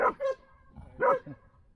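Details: A standard poodle from a Ketchum, Idaho household gives two loud, clipped barks about a second apart, each with a softer yip-like tail, over quiet background.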